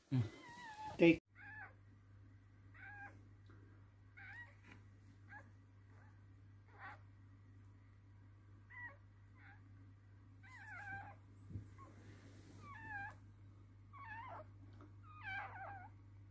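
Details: Newborn squeals during a Toy Poodle's delivery of three girl puppies indoors: a loud thump, then a run of short wavering high cries about once a second, with a steady low electrical hum beneath.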